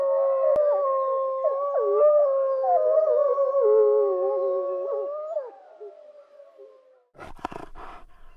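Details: Wolf howl with wavering, warbling pitch and brief breaks, several tones layered together for about five seconds and fading out, followed by a short burst of rough, noisy barks near the end.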